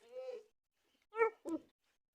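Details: German Shepherd puppies playing and play-biting at the camera give three short, high, tonal yelps: a drawn-out first cry, a pause, then two quick sharp yips close together in a quiet indoor setting.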